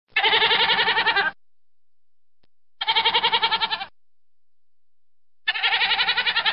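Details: Goat bleating three times, each a quavering, trembling call about a second long, with pauses of a second or more between them and no other sounds.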